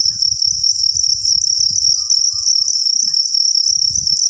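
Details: Steady high, piercing trill from a group of copper crickets fills the whole stretch without a break, with faint low rumbling handling noise underneath and no talking.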